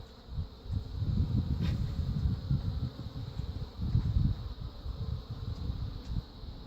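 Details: Honey bees from a caught feral swarm with some Africanized genes, at a hive grown very defensive, during replacement of the queen with an Italian queen; a low, fluttering, continuous buzz that swells and fades in bursts.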